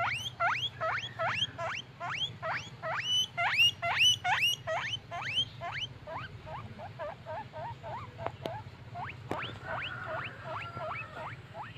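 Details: Happy pet guinea pig squeaks: strong upswept wheeks repeated briskly, softer and shorter mid-clip, then a few sharp clicks and renewed rising calls with a held whistled tone; low hum under all.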